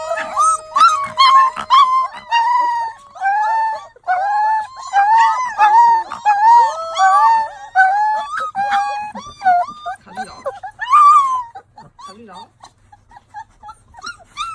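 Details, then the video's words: Several tiny puppies howling together for the first time, a dense chorus of overlapping wavering howls and short yips rising and falling, continuing almost without pause before thinning into scattered quieter cries near the end. "Tiny Puppies Howling for the First Time"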